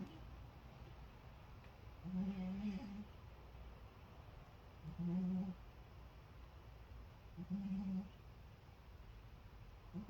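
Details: A cat fast asleep gives big, resonant snores. There are four even, buzzy low snores roughly every two and a half seconds, each lasting under a second, in a quiet room.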